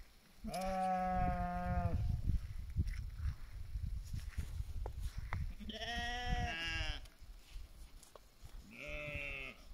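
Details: Flock sheep in the mountains of BC, Canada, under guard of a 9-month-old Bully Kutta/Tibetan Mastiff cross and a 2-year-old Tibetan Mastiff female; three drawn-out, wavering bleats spaced a few seconds apart over low background rumble.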